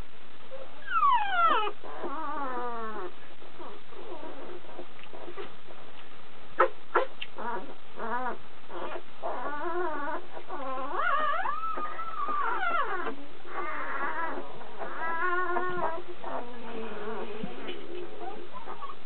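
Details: Kuvasz puppies whimpering and whining: a busy run of high, wavering, harmonic whines and short yelps, overlapping and rising and falling in pitch, with brief sharp clicks in between.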